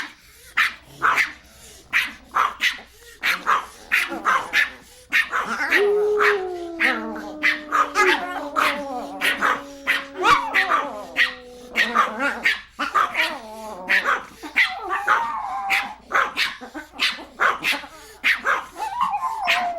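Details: Small dogs giving rapid, repeated sharp barks throughout, with a long sliding whine in the middle that slowly falls in pitch before the quick barking resumes.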